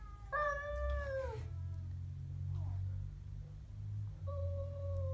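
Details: Siamese cat growling at a stray cat: a drawn-out, wavering yowl that slides down at its end, a pause, then another steady moaning tone starting later, over a constant low rumble in the background.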